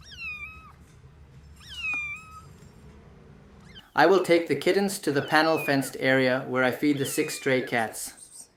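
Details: Abandoned stray kitten that survived two days in -11°C snow without food or shelter before rescue: two drawn-out, falling meows in the first half, then loud human speech takes over.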